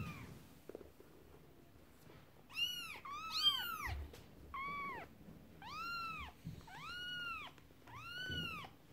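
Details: Kittens play with a horse-drawn carriage toy while the mother cat is upset; a series of about seven clear, arching meows, a few overlapping in quick pairs, repeated roughly once a second, over light thumps and handling noise.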